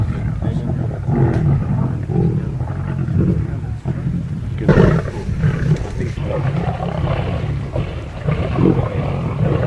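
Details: Several lions from a large wild pride feeding, heard from afar: constant deep rumbling growls with a sharp snarling surge near the middle, many voices overlapping throughout.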